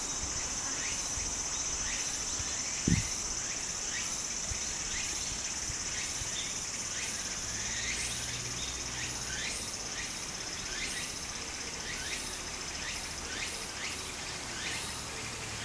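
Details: Japanese summer cicadas by a flowing stream: a steady shrill whine with rhythmic pulsing bursts about twice a second, backed by continuous burbling water and one brief knock.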